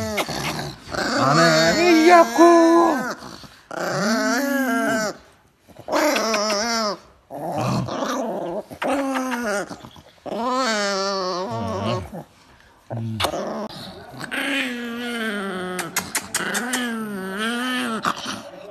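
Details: Angry dog growling and snarling in long wavering rumbles, each lasting a second or more and separated by brief pauses, the bouts growing rougher toward the end.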